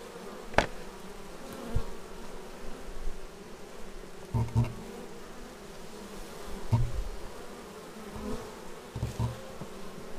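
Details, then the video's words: Bees returning to their beehive, raw Xiaomi Yi action camera sound: a low steady hum broken by several short loud fly-by buzzes and occasional sharp clicks against the hive. "Bees arriving at hive"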